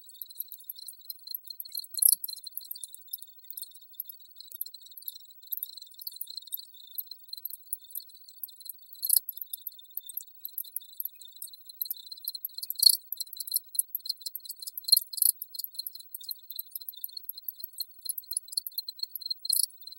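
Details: Crickets chirping in a steady high-pitched chorus, a thin ringing tone broken into rapid pulses, with brighter tinkling bursts scattered irregularly over it and no other sounds.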